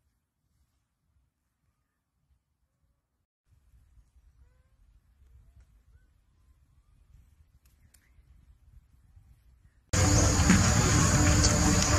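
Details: Near silence, then a faint low rumble, ending in a sudden loud burst of broadband noise, with no animal call.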